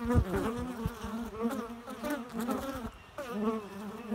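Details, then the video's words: Loud, close bee buzzing, a rich humming tone that rises and dips as the insects move, nearly unbroken except for a brief drop in volume near the end. "Bee Noise"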